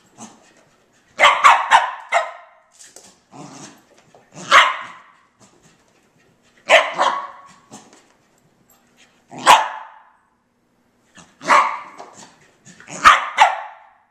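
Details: Colbie, a female dog, doing indoor laps after running around inside for ten minutes; loud barks arrive every one to two seconds, some doubled, mixed with softer huffs and thumping footfalls.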